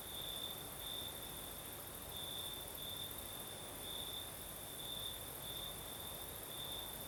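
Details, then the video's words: Crickets singing at night in the south of Crimea with a night breeze: a steady high trill with brighter pulsed bursts every second or so, over a faint continuous hiss of higher insects and soft low wind rumble. "Звук ночи. Юг. Крым. Сверчки поют. Ночной бриз."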